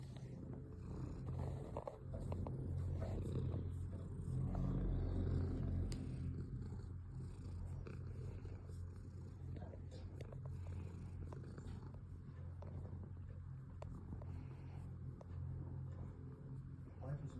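A cat purrs steadily, a low rumbling vibration pulsing several times each second.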